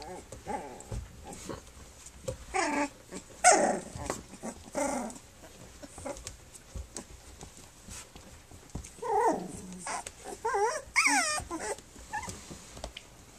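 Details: Puppies on their three-week birthday, Flute's litter nursing and playing: scattered squeaky whimpers and short yelping cries come in clusters, with low grumbling between and soft rustling throughout.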